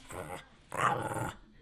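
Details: Pet dog named Nash, hungry and asking for food indoors, gives two drawn-out growly, voice-like moans, the second louder and longer, between an owner's questions about what it wants to eat.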